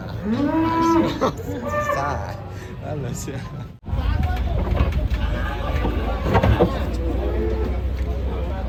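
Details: A fat cow rages during loading onto a truck. A couple of arched, rising-and-falling moos open the stretch, then fade under heavy low rumbling, handling noise and voices.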